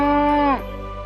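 A cow gives a short, steady, tonal moo that drops sharply in pitch at the end.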